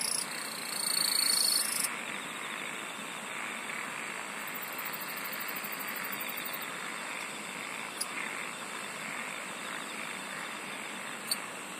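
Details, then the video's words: Night chorus of singing insects: steady high whistled tones with a sharper piercing note in the first two seconds, a rapid pulsed trill appearing higher up midway, over a dense hissing background chorus with soft lower croaking. "SINGING OF INSECTS"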